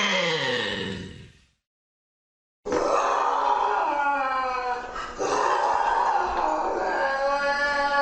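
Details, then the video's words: Lynx voice: the tail of a descending moaning wail fades out, then after a second of silence a long, harsh, strained yowl rich in overtones runs to the end with a brief break midway. "Tunog ng LYNX | Sound of a LYNX"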